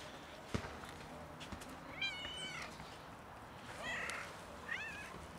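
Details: Cat outside in winter cold, freezing and seeking warmth: a wavering, harmonic-rich meow at about two seconds, then a short flat cry near four seconds and a final arching meow, with soft urban rumble and scattered clicks behind.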